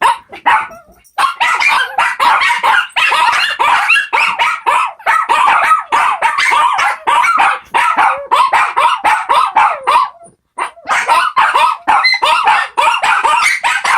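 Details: Four Shih Tzu puppies join in a long singing session of packed, overlapping high yaps and quavering howled whines that keep going almost without break, dropping out briefly near ten seconds before resuming.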